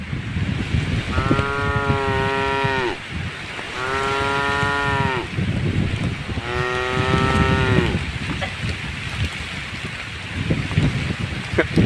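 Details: Tame cattle walking through a puddle on a road beside a forest, lowing three times: long harmonic moos of about two seconds each with short pauses between, over a background of steady outdoor rumble.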